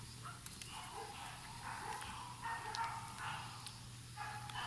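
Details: Young French Bulldogs, a litter born 14 July 2018 and waiting for new homes, give thin whines and brief yelps in quick succession over a constant low electrical hum.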